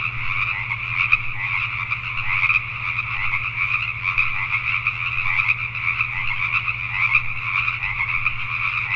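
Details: Pacific tree frogs calling at night in Richmond, British Columbia, Canada: a dense, continuous chorus of many overlapping creaky croaks, with steady pulsing throughout and a constant low hum underneath.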